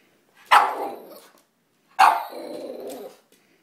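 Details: A Boston Terrier dancing for its toy gives two loud, slightly drawn-out barks, asking for the toy.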